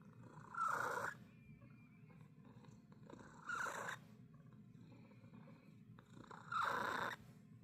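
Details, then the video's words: A domestic cat making a strange sound: a low continuous rumble broken by three louder, rough, snorting rattles roughly three seconds apart. "고양이한테서 이상한 소리가 나요"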